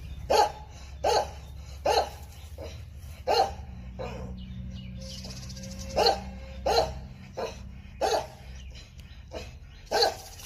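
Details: Jindo dog confronting a viper, barking sharply in short bursts roughly once a second, about nine barks with a brief pause midway; low background hum throughout.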